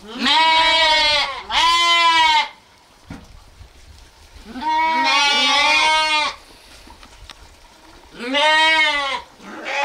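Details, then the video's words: Repeated loud bleating from sheep or lambs, paired calls at the start, a long overlapping bleat mid-clip suggesting two animals, and another at the end, with soft background rumble between. "sounds of sheep , Sheep Sound , lamb noises"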